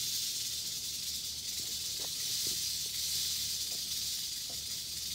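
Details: Dense, sizzling buzz of an eastern diamondback rattlesnake's rattle held steadily for several seconds, some faint knocks mixed in.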